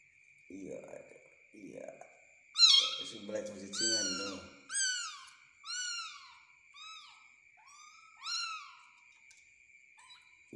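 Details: Small kitten being spoon-fed, calling a run of about eight short, high, arched meows spaced roughly a second apart after some muffled voices, over a faint steady electronic whine indoors.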